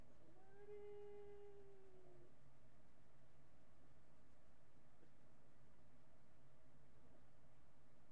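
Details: Marty, a miniature pinscher, recorded by webcam on July 8, 2011 around 10:56 AM, gives a single smooth sustained howl of nearly two seconds, slightly falling at the end, followed by quiet room hum.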